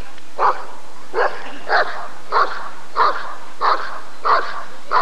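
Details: At the 1994 ADRK Körung, a Rottweiler barks steadily, eight loud barks in about five seconds at a fairly even pace, with little else heard.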